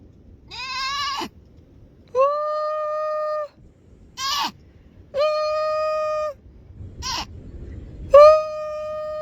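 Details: A baby seal gives drawn-out, bleating calls that sound strikingly like a sheep or baby goat instead of the usual arf.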